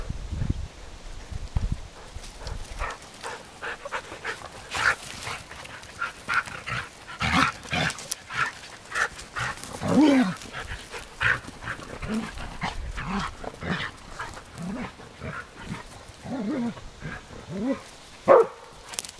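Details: Play in an exercise yard between dogs Arija and Nallo and puppies nine weeks old; rumbling play growls and brief yelps repeated throughout, over constant scuffling.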